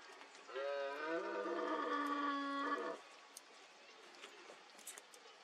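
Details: Red deer stag bellowing in the 2022 rut in Cantabria, Spain, in fog: one long, sustained, coarse roar of over two seconds with a steady pitch that ends abruptly, then quiet ambience.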